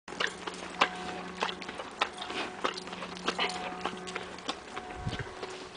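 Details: Shetland pony named Sam eating oats, smacking and crunching as he chews, rapid irregular clicks and munching, with a steady low hum behind.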